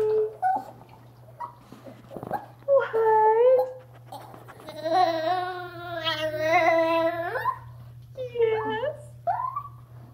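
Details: Eleven-year-old female pet chihuahua talking during bathtime indoors: drawn-out, wavering howl-like vocalizations with rich harmonics, rising and bending in pitch, broken by short yips; a woman speaks softly between them and a low steady hum runs underneath.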